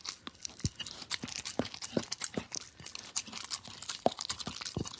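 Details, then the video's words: Dog licking a plate: irregular wet smacks and slurps mixed with bright crackling, the strokes uneven in spacing and strength. "Dog Licking Plate"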